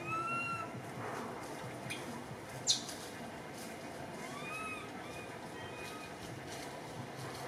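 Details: Baby monkey named Cody, a Cambodian temple monkey, up in a tree, crying in fear while its mother is missing; thin, high, tonal cries that bend up and down, one at the start and more near the middle, over steady background hiss and sharp clicks.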